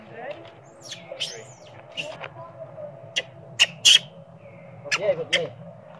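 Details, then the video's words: Baby monkey named Sweet Pea, hungry and crying for milk while its mother pays little attention, gives sharp high screams and squeals in brief bursts, the loudest pair just before the fourth second, over a low steady background hum. "baby monkey cry & screaming loudly but mom monkey not care much of him"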